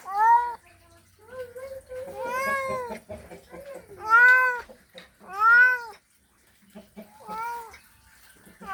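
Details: Male cat's mating call to a female: a string of loud, arched yowls, some stretched and wavering, separated by short pauses, with a faint low hum underneath.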